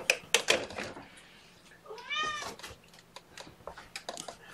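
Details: One of four young kittens, mother Seraphina aged 1.5 years, at Purrfect Pals during lunchtime handling. A clear, high, arched mew lasts about half a second after a few sharp knocks and rustles, with quieter shuffling afterwards.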